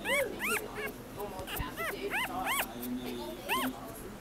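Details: Brindle Scottish Terrier puppy gives high, arching whines and yips in short bursts, several in quick succession, with faint human voices in the background.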